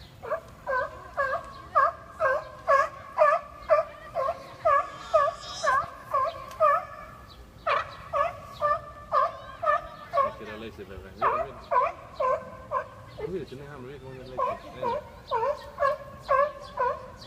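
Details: Seals arguing with a long, steady chain of bleating, harmonic cries roughly twice a second. Harsher, overlapping wails break in midway before the rhythmic calling resumes.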